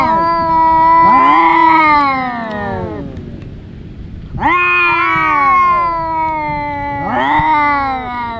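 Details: Domestic cats, two brothers, fighting: three long harmonic yowls, two voices overlapping in a wavering, falling wail, each lasting about two seconds, separated by short quieter gaps.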